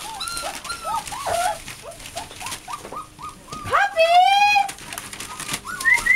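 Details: American Bulldog and Siberian Husky puppies, a litter of eight, kept indoors; high, arched whines repeated rapidly by several pups, with one longer rising squeal near the middle and faint human voices.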